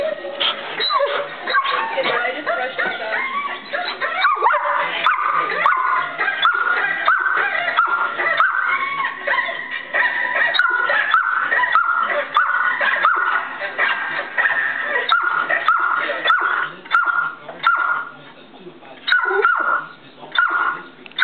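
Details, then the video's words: Pet dog vocalizing indoors in a 'talking' way while a half brother's barking plays from a device, with drawn-out whiny, wavering tones and short yips against a dense background of voices and playback sound. ""Talking" to His Half Brother"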